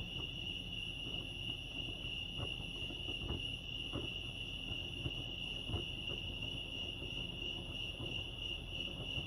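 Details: Crickets at Lake Arrowhead in California produce a steady high ringing chirr without break, accompanied by a low background rumble and several soft knocks and clicks scattered through.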